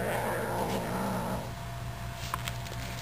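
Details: A male F3B Savannah kitten gives a low, rumbling growl, fading after about a second and a half, as he confronts a birdie toy during play; he also snorts.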